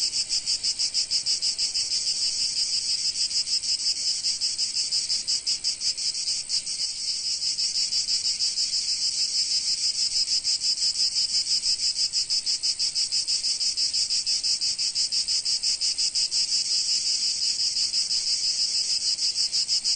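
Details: A summer chorus of cicadas in sunny Provence: a harsh, high, continuous rasping drone that pulses evenly about three times each second, with no other voices.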